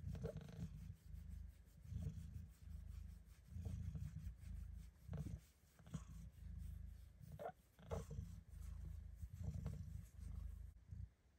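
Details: Domestic cat tucked into her favorite snug spot, purring during belly rubs: a loud, deep, continuous rumble that swells and fades in phases about every one to two seconds, with occasional soft rubbing sounds.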